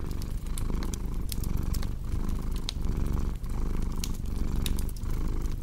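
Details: Cat purring steadily with a deep, low rumble that swells and fades in breath cycles under a minute, paired with sharp crackling pops from a cozy fireplace.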